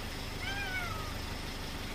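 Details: Weak, elderly feral domestic cat at a rural house, following a person while begging for more cat treats. A single falling meow rises faintly above a steady, loud engine-like rumble.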